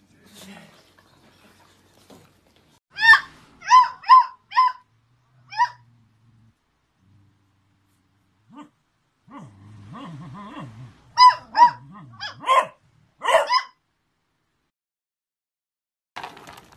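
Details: Beagle puppy producing two clusters of quick, high-pitched yips, four or five in each burst with a pause between, and a low murmur of a human voice in the gap.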